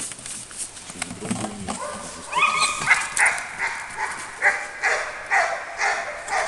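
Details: Labrador Retriever named Ergo during a barking exercise; after a quiet start, a run of short, bright barks comes roughly twice per second, fairly evenly spaced, over a faint background hiss.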